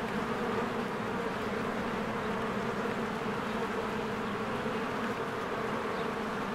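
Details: Many honeybees flying in and out of their hive in spring, a steady dense hum with a low droning band and no pauses, faint bird sounds barely audible behind.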